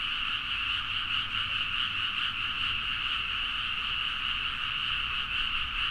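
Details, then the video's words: Frogs in a loud midnight chorus calling from rice paddies in Nagaoka, Niigata, Japan, recorded on a Zoom H4n; many overlapping croaks merge into a steady, dense, pulsing trill with a bright upper band, plus a faint low rumble. "The frog sound at mid night (環境,自然音 -深夜のカエル大合唱-)"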